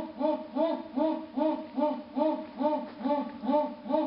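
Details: Esturro of a jaguar from Pará, Brazil: loud, throaty grunts pulsing in a steady rhythm, roughly every 0.4 seconds, each a short rough burst rising and falling, nine in a row.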